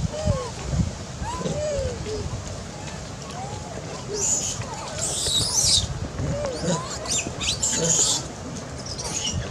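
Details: Baby monkey crying loudly after a big monkey grabs it to threaten it while eating; two bursts of shrill, high screaming over steady outdoor background noise, with softer chirping notes scattered through.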